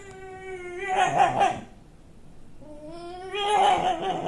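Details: A pet dog named MoMo, 29 May 2013, producing a strange, never-before-heard noise: two long tonal yowls, each climbing in pitch then easing down, with a quiet gap of about a second between them.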